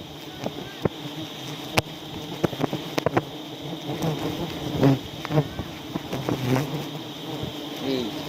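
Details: Honey bees in South Aceh, Indonesia, swarming during a wild honey harvest in which the collector is stung; a steady low droning hum runs throughout, broken by sharp knocks and clicks from handling.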